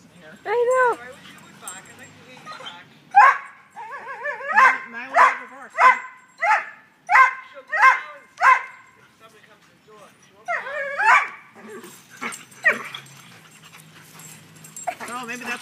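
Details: Black greyhound playing through a fence with a blue pit bull while a brindle greyhound chases him: a run of about eight short, wavering yelping barks roughly every half second, with scattered whines before and after.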